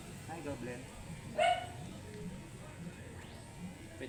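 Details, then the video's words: During grooming, an angry, matted Shih Tzu lets out a single high, clipped bark, with soft rustling and faint background sounds around it. "Angry and matted shihtzu"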